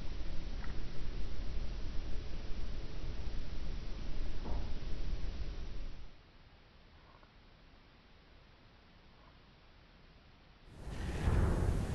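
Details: Low rumbling background noise with faint clicks, a quiet stretch, then a burst of handling noise; no animal voice.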